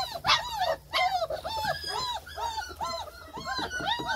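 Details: Several German Shepherd puppies whine together in a dense chorus of rising-and-falling squeals, nearly continuous with no pauses.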